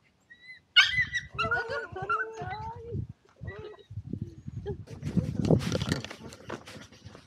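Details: Jack Russell Terrier on a walk, carrying a thumb-sized Insta360 GO 2 camera mounted on its back and recording in mono; high, wavering whimpering whines rise and fall for about two seconds, then footsteps and rustling follow.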